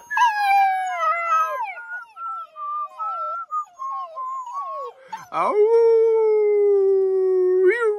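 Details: Black German Shepherd puppies in a kennel after supper howl in reply to whistling. Long wavering, falling wails rich in harmonics, then a short sharp yelp and a steady, slowly sinking howl to the end.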